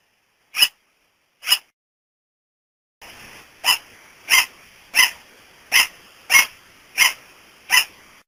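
A sugar glider gives sharp, high, dog-like yaps, repeated roughly every two-thirds of a second.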